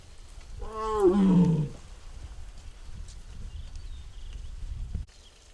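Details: Tiger named Mugung, a six-year-old at the Tiger Forest, Baekdudaegan National Arboretum, Bonghwa, South Korea, filmed on an April 24 afternoon making strange sounds: one loud harmonic, moaning call lasting about a second, falling in pitch, then quiet outdoor background.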